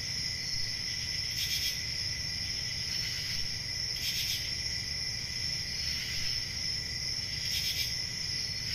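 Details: Crickets on a calm rural summer night. A continuous shrill, even trill runs throughout, while louder rasping chirps stand out roughly every two seconds above faint low background noise.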